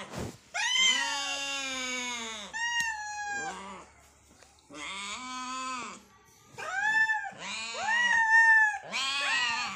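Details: A pair of hungry cats meowing as they fight for food: strong, drawn-out meows, some bending down at the end, trading back and forth almost without pause.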